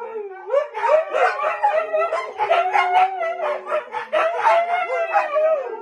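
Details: Howling Siberian Huskies from a 2020 compilation, one voice sliding upward into a sustained wavering wail while other dogs join in with choppy, modulated woo-woo notes.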